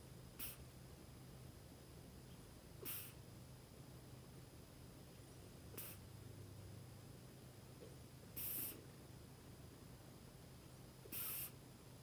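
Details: Kinako, a female Scottish Fold pet cat, snoring while asleep and relaxed on her owner's lap indoors; soft breathy rasping bursts recur about every three seconds over a steady low hum.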